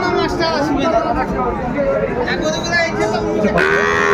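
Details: Cattle calling at a crowded cattle market in Mymensingh, Bangladesh, on 14 January 2025, where a farmer buys small bull and heifer calves; brief lowing rises through dense bargaining chatter, with one clearer drawn-out note near the end.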